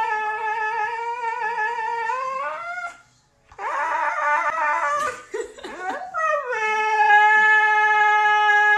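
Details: Excited pet dog being teased indoors: long sustained howling tones, steady then rising at the end, a brief gap, then a wavering burst of yelps and a final level drawn-out howl.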